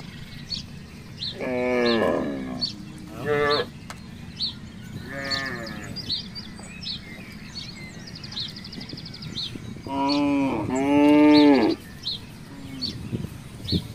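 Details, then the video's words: Village cattle, part of a herd roaming loose around a housing complex, let out several strong, harmonic moos in separate bouts, one long and even near the end, with constant bird twittering behind. "suara sapi"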